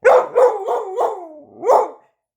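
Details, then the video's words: Sadie, a dog known for "talking", gives a run of four quick yelping barks sliding into a long falling, voice-like whine, then one final sharp bark; no other sounds. "Sadie the Talking Dog"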